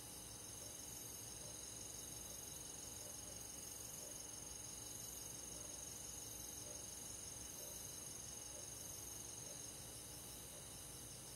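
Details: Crickets and other countryside grass insects on a summer night: a rapid, high-pitched pulsed chirping runs steadily for most of the stretch over a constant shrill insect hum, then fades near the end.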